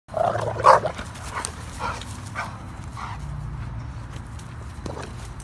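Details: Two dogs, a 10-month-old Pitbull puppy and a 2.5-year-old German Rottweiler, in a dominance standoff after the Rottweiler tried to mount the puppy; loud, short harmonic vocal bursts in the first second, then quieter rumbling noise and scattered brief sounds.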